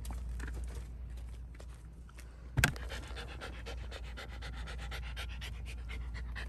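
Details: Shiba Inu Ranmaru at a pet hotel, where he goes every few months for a shampoo and nail trim. Quick, steady breathy panting fills the clip, broken by a single loud thump partway through.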